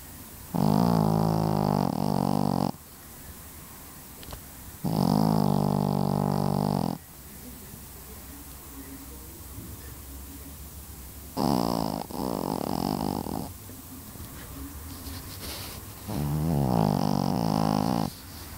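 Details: Pekingese dog. A Pekingese dog snores loudly, each breath a coarse, buzzing rattle lasting about two seconds. The snores come at irregular intervals of several seconds, with quiet room tone in between.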